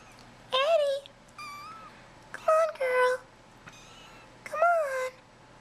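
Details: Hungry kittens, bottle-fed every four hours in an indoor nursery, come out of their tent for dinner, calling with high bright meows, some short and some drawn out with a falling tail, about five in quick succession, while a woman's coaxing voice is heard.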